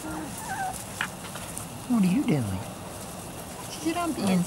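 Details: Weimaraner and Vizsla cross puppies from Biscuit's litter, three to four weeks old: short puppy whines, one wavering and sliding down from a mid to a low pitch, with fainter squeaks before and after.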